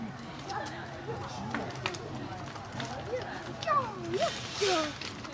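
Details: Female snow leopard cub Rian, four months old, born 1 May 2011, at Maruyama Zoo, crying from a lower log after failing to climb to her mother Liebe, before nursing; filmed 19 September 2011. Several short, falling, mewing cries over visitors' chatter.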